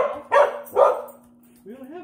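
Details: With a tennis ball held in her mouth, Molly the dog lets out two quick, muffled barks in close succession, then a rising and falling whiny tone, possibly a voice, near the end.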